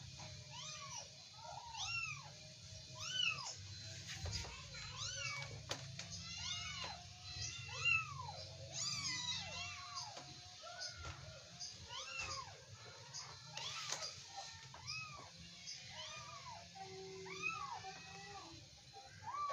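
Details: Young Persian kittens play-fighting and wrestling indoors, giving a steady run of short arched mews, many overlapping, each rising then falling, several per second at times, with a low hum underneath.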